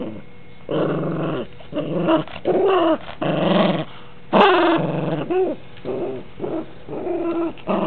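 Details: Rambo, a dog, playing roughly with his toys. Indoors he makes a series of short harmonic growls and whiny grumbles in bursts of about half a second, with one higher, louder rising yelp near the middle and brief gaps between.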